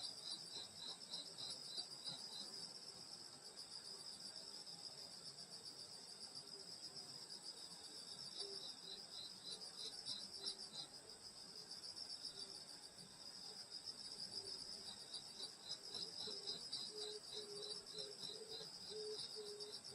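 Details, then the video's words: Grass insects singing on a summer night in the countryside at a grandmother's house: a dense, continuous high shrill chorus layered with a rapid pulsing trill, with a lower, softer pulsed chirping growing stronger toward the end. "여름소리 풀벌레소리 시골밤소리"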